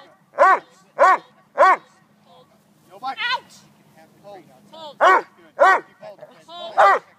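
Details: Boss, a Neapolitan Mastiff doing bark-and-hold protection training, barks deeply and forcefully in two groups of three, about half a second apart. A handler speaks briefly between the groups.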